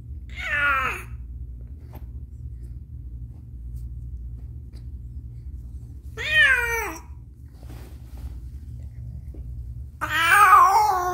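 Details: Domestic cat named Caramel giving birth to kittens, a difficult delivery indoors; three loud drawn-out meows at roughly five-second intervals, wavering and falling in pitch, the last one harsher, over a steady low hum in a small room.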